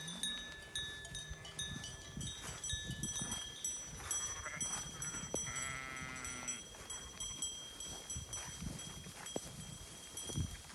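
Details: Flock of Merino sheep at a Turkish farm, goats also kept there: one clear quavering bleat midway through steady shuffling, knocks and rustling, with a man's Turkish voice in the background.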